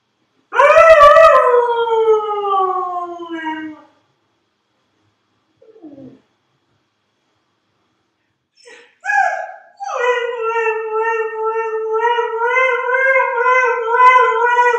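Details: Dog howling: one loud drawn-out note sliding downward, a pause with a faint whimper, then a second long, steady, slightly wavering howl that carries to the end.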